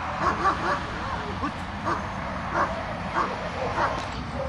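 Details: German Shepherd named Azzo during an IPO1 obedience test drive, giving a run of short harmonic barks roughly every half second to second across the clip, with speech and outdoor background noise.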